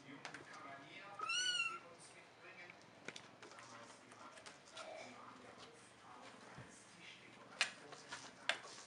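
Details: Kitten from the litter of Tina and Cayenne gives a single loud, high, rising-then-falling meow lasting about half a second, with soft human speech and scattered clicks and knocks in the background.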